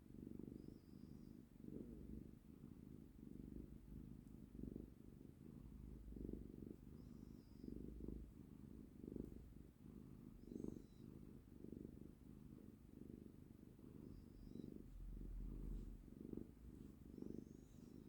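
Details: Pet cat purring while held in someone's arms: a steady low rumbling purr that swells and fades with each breath, about every 0.7 seconds, with faint high chirps in the background.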